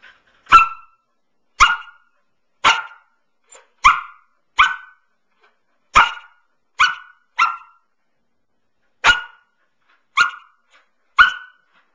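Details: Nine-month-old female Samoyed, described as flirty, on her beloved couch indoors, giving about a dozen sharp, high-pitched barks, each short and clipped, spaced irregularly one to two seconds apart with silence between.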